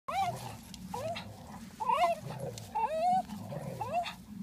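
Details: Parson Russell Terrier and Swiss mountain dog tussling over a ball outdoors; high, rising, wavering whines come in quick bursts about once a second, some sliding up then down, over low rumbling background noise.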